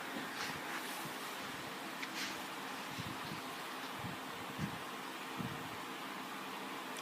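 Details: Steady fan-like hiss fills a small room, broken only by a few soft bumps, with no animal voice heard.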